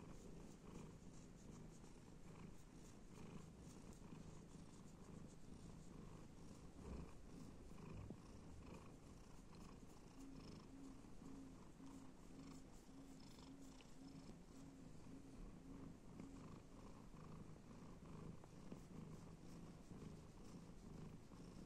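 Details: Stitch, a male domestic cat, purring while he is petted and scratched. A steady, low, continuous rumble with an even pulsing rhythm that runs throughout, with faint light crackles and rustles above it.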